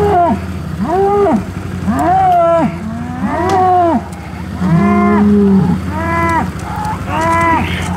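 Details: Herd of Hereford cattle, 2017, at breeding-season turnout of the bulls with cows and first-calf heifers. Repeated loud, arching moos, each about a second long, follow one another roughly every second, over a faint low hum.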